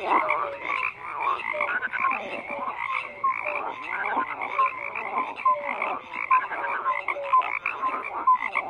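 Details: A dense frog chorus of overlapping croaks: rapid rattling pulses mixed with short whistled notes. The calls come in uneven bursts about once a second, with no other sounds.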